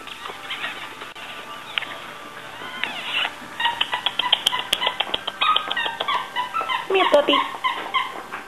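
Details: Cocker Spaniel puppies at play give high, squeaky yips and thin whines. Many short overlapping calls rise and fall and grow busier toward the end, with scattered sharp clicks and knocks.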